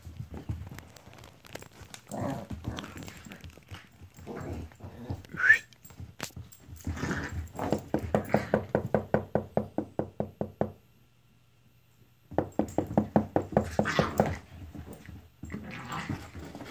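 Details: Playful Italian greyhound brothers, one newly arrived, in a small room. Scattered growls give way to a fast series of short, regular pulsed snarl-barks, then silence, then another rapid burst of play noises.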